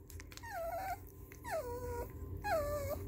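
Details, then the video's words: Young puppies, ears only recently opened, respond to music played in their room for the first time with three drawn-out whining howls, each sliding downward from a higher start and trailing off, spaced about a second apart over a steady low hum. "Baby puppies react to Haken"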